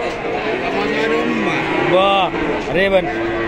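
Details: Cattle at a busy cattle market in Situbondo, Indonesia, where female calves of Pegon and Limousin types are traded; two arching, harmonic moos rise and fall over about half a second each, amid constant crowd chatter and men talking prices.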